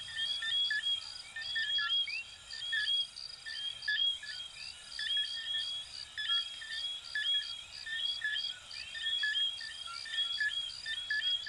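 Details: Dense night chorus of coquí frogs from Venezuela and Puerto Rico, short piping notes and upward-gliding whistles repeating almost once a second from many callers, layered over a continuous thin high-pitched drone.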